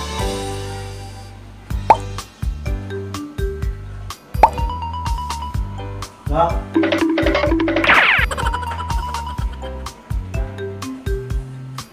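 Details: Playful background music with plucked notes and plopping effects under a talking voice, and no animal sound.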